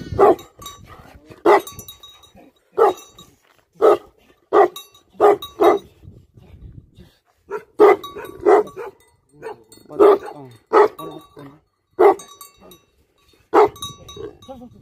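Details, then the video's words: Guardian dogs giving a steady series of deep, forceful barks, roughly one or two per second, over faint background noise and a low murmur. "Livestock Guardian Dogs Barking"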